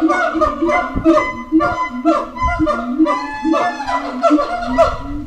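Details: Howler monkeys at Twycross Zoo calling at feeding time while defending territory: overlapping harmonic moans and screams, rising and falling, pulsing roughly twice a second in a dense chorus.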